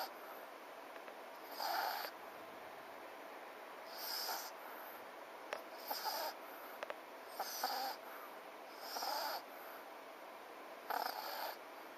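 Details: Sleeping French Bulldog FICA snores steadily, with five or six rough, wheezy bursts spaced about two seconds apart and a few soft clicks between them against low room hiss.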